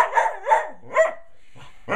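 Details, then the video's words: A singing dog gives three short, wavering, yelping vocal bursts about a third of a second apart. A quiet gap follows, then a fainter burst starts at the end. "Singing Dog"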